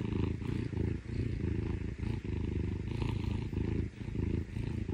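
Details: Close, loud purring from Parumu, a rescued Scottish Fold younger brother cat, enjoying affection with its owner; a rhythmic rumble that pulses with each inhale and exhale, roughly one cycle per second.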